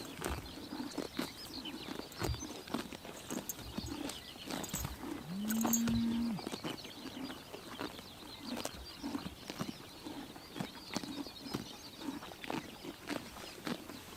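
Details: Horses chomping grass on a summer morning in Tuv province, Mongolia, with repeated sharp bite clicks throughout and a brief low droning tone near the middle, plus faint birdsong.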